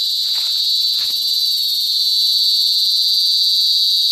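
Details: A cicada sings in the Bicol countryside, Philippines, a continuous, piercing, shrill buzz, high and sharp with a faint pulsing shimmer, with a couple of soft clicks near the start.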